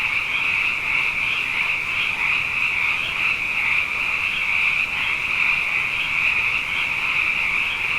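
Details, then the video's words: Frogs abundant after two wet years fill the night with massed calling, a high-pitched continuous trill overlaid by a softer lower droning layer, loudness swelling slightly at intervals. "Frog Songs: Na Mele o nā Paloka"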